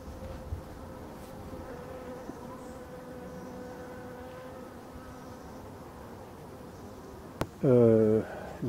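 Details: Black honeybees in a Voirnot hive being prepared for winter, 30 October 2021, forest hives; a steady, even hum holds for several seconds, then a sharp click and a short loud burst of handling noise near the end.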